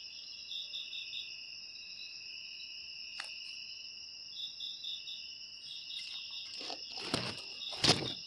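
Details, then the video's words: Steady high-pitched cricket trilling with soft pulsed chirps. Sharp clicks and rustling knocks break in toward the end. "Suara Jangkrik"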